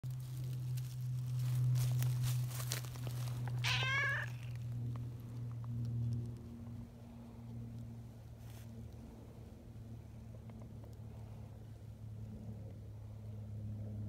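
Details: Friendly tortoiseshell community cat, affectionate and kneading with its paws while waiting to be petted, gives one lively drawn-out meow that falls in pitch. A steady low hum runs underneath, with soft rustling around it.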